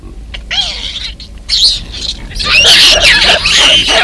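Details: Baboons in Kruger National Park, a huge male protecting his troop from an intruder baboon: harsh, loud, noisy screaming bursts rising in intensity, overlapping and continuous toward the end.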